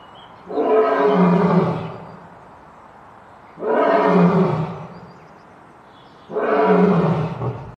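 A lion gives deep, rasping roars, three long bursts spaced about every three seconds.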